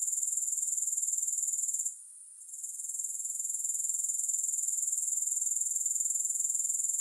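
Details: Sharp, high-pitched pulsing trill of grasshoppers with no music, briefly falling quiet around two seconds, then slowly rebuilding to a steady drone.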